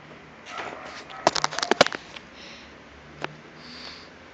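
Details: A pug named Temaki during an "attack": a quick cluster of loud snorts and snuffles in the middle, one sharp snort afterwards, then quiet breathing.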